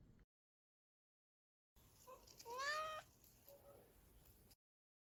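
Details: Domestic cat meowing during morning snuggles with another cat: one clear rising-then-falling meow with strong harmonics, followed by a softer short call, in a quiet room.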